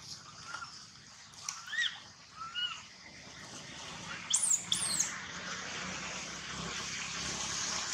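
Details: Young monkey Gino crying: a few soft, short whimpers early on, then two loud, piercing high squeals in quick succession, over constant hissing background noise.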